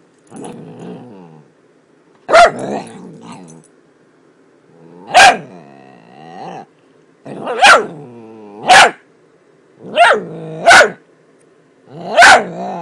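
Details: Miniature Dachshund making weird noises: low rumbling growls broken by sharp, harmonic barks and yips, roughly seven loud bursts over thirteen seconds, some doubled in quick pairs, with quieter growling between.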